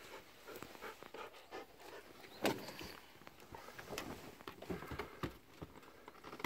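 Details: Two Golden Retrievers, nine-year-old Kohaku and eight-year-old Ibuki, romp and run around on a morning walk on 19 November 2018 over freshly tilled soft soil. Quick breathy panting mixes with scattered footfalls and brushing noises.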